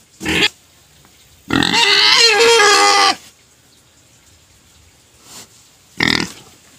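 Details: Pet pig crying before being fed sugar cane: a brief sharp yelp, then a long shrill squeal of about a second and a half, a long quiet gap, and another short yelp.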